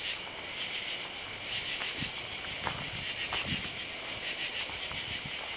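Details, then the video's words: Katydids heard at night on July 31 while walking down a driveway beside oak trees. A dense, high, scratchy insect chorus runs continuously with faint rhythmic pulsing, while soft footsteps thud underneath. "Katy-dids (insect)"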